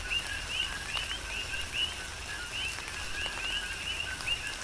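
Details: On the Big Island of Hawaii, coqui frogs call through a tropical rain shower: bright upward-sweeping chirps paired with lower notes, repeated roughly every second or two by several frogs, amid falling raindrops.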